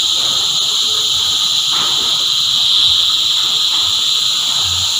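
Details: A cicada choir holds a continuous high, shrill buzzing drone that stays even in loudness from start to end, with no other clear sounds.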